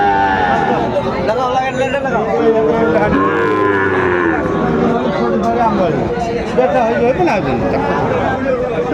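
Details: Sahiwal bull calves for sale at Aftabganj cattle market in Dinajpur, Bangladesh, on 1 July 2025 as trading opens. A drawn-out, harmonic moo swells and falls around mid-clip beneath constant crowd chatter and haggling voices.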